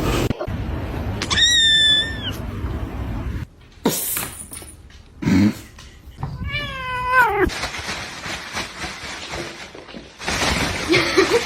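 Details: Domestic cat from a funny pet compilation giving two drawn-out harmonic meows, the second falling then rising, with bursts of background music and brief speech between them.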